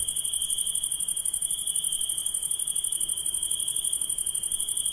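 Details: A nighttime insect chorus of shrill, rapidly throbbing trills, one steady ringing tone beneath a sharper sizzling band, continuing without pause.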